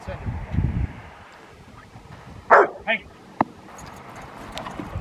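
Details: Rottweiler named Foofy during protection training at Victoria Rottweiler Club on April 24, 2021; one loud bark followed by a shorter second bark and a brief sharp yelp, with a handler's commands and outdoor background noise.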